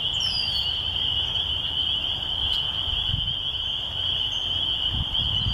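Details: Spring peepers call in a thick chorus at a church in the country, their high piping peeps merging into one continuous shrill ring; a brief high bird note near the start, with red-winged blackbirds present, over a low background rumble.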